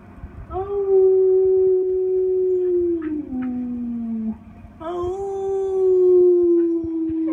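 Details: Pet Siberian Husky howling with its owner during a break from playing music: two long, steady, mid-pitched howls, the first sliding gently lower toward its end, the second held level after a brief pause.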